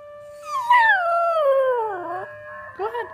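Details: Miniature Pinscher mix dog howling in response to a Basenji yodel recording: one long tonal howl sliding slowly downward over about two seconds, then a short rising-falling yelp, with a faint steady tone underneath.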